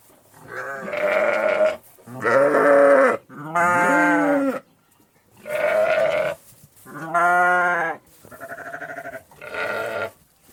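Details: A flock of farm sheep bleat in turn, each a wavering, nasal baa lasting about a second.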